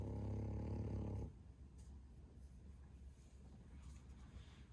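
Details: Bro, an 11-month-old male French Bulldog, snores loudly: one deep, rasping low rumble lasting just over a second, then a quiet stretch of soft breathing and faint room noise.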